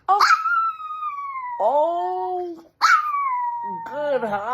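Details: A Chihuahua, prompted by its owner to howl, gives two short howls, each starting high and sliding down into a wavering, whiny tone.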